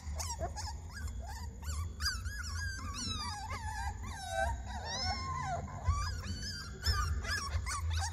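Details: Puppies screaming: many overlapping high, wavering whines and yelps from several young dogs, rising and falling continuously, with a steady low hum beneath.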